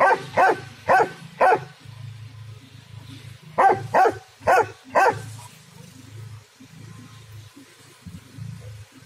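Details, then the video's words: Loud dog barking in a garden, delivered as two bursts of four sharp, evenly spaced barks separated by a short pause, then quieter sounds over a constant low background hum. "Chien aboie Fort"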